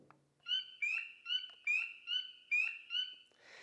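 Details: A spring peeper, a tiny frog with an X mark on its back calling early in spring, gives a quick series of high, clear, upslurred "beep" peeps, each about half a second apart.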